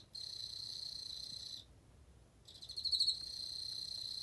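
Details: Emma field cricket producing a clear high ringing trill that stops for under a second, then resumes with a pulsed, louder onset before continuing steadily.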